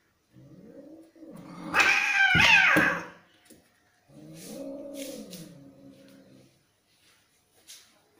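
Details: Angry cats fighting: a low warbling yowl leads into a loud, harsh screeching spit lasting about a second, followed by another long, wavering, rising-and-falling yowl, then quiet with faint knocks.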